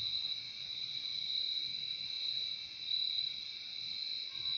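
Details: Crickets in a nature recording for sleep and relaxation, their massed chirping merging into one steady, shrill, high ringing tone with a fainter lower band beneath, continuous and unbroken for the whole stretch, with no other sounds.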